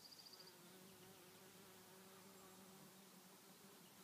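A bee's steady, low droning buzz hums on for a few seconds after a brief high ticking.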